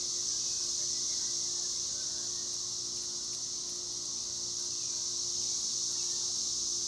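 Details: A cicada chorus in trees: an intense, seamless metallic whine held steady throughout, with a few faint sharp ticks above it.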